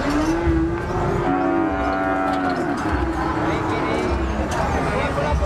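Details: A cow gives a sustained, fairly level moo with rich overtones. Crowd chatter and low rumbling noise continue underneath.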